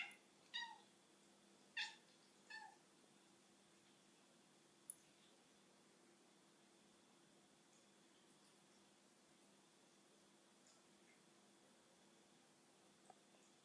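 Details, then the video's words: Domestic cat making weird sounds over a tiny bug indoors: a quick cluster of four short, bright, chirping calls in the first three seconds, then near silence with a steady low room hum and faint ticks. "Funny cat noises"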